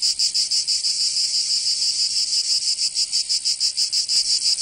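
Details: Cicadas singing in summer in Provence, southern France: a dense, shrill, high buzzing drone that pulses about three times per second, steady and unbroken throughout, with no other sounds.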